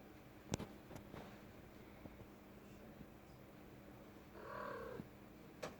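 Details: A female pet cat in a room: a quiet background with a few sharp taps, then a single short meow near the end that falls slightly in pitch.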